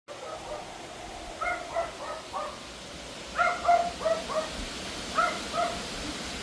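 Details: Pomeranian barking at a wind storm on an August evening, loud yappy barks repeating nonstop; sharp high yaps in quick clusters of two to four, over steady broadband wind rush.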